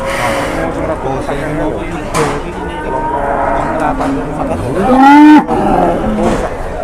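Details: Jumbo cattle at an Indonesian livestock market, slightly rampaging: a loud, drawn-out moo rises and then holds steady near the end, over murmuring voices and market bustle.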